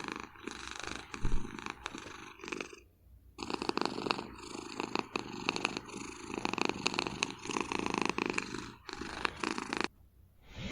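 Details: Napping house cat on a chair behind a desk in Vancouver: a continuous raspy, throaty snore with a regular in-and-out breathing rhythm and a brief lull after about three seconds, indoors with no other clear sounds.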